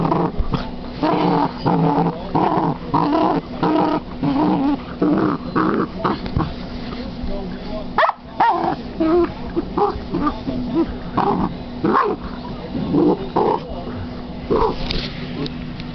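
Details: Female Basset hound at play with a new toy, growling and grumbling in repeated short bursts roughly every second, mixed with whiny tones, while people talk in the background.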